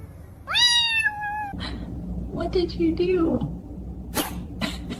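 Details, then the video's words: Cat's single rising, then level meow lasting about a second, followed by a lower, rougher vocal sound and a few sharp clicks and knocks. "Funny Cat Sounds !"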